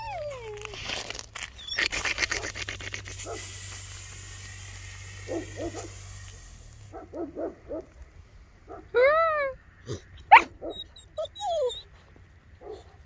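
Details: Two-month-old Bernese Mountain Dog puppies giving high, rising-then-falling whines and short yelps, mostly in the second half, after a stretch of hissy rustling and handling noise.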